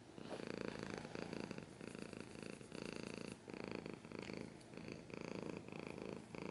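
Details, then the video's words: Cat purring closely, loud rhythmic rumble in pulses that rise and fall with each breath about every second, with a brief dip near the middle. "Cat's purring / scratching / kinda ASMR"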